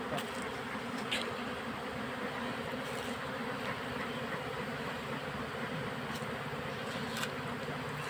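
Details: Honey bees being boxed from a wild colony as smoke is applied; continuous thick buzzing roar with no pauses, faint clicks and knocks scattered above.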